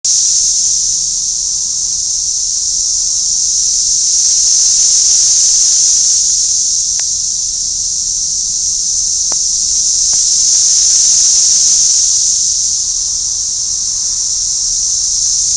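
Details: A dense, high-pitched chorus of Brood X periodical cicadas in Lower Price Hill on June 8, 2021 drones without pause, swelling and fading in slow waves.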